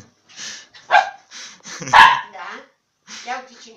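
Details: Bob, a pet dog, lets out one loud sharp bark in the middle, with softer yelping sounds around it, while a person talks to him in Romanian throughout.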